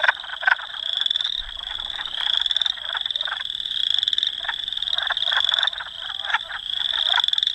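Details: Spring wood frog song from Dauphin, Manitoba, Canada, April 18, 2008, captured with a Canon PowerShot S5 IS: a busy stream of short, raspy clucking croaks set against an unbroken shrill trilling background.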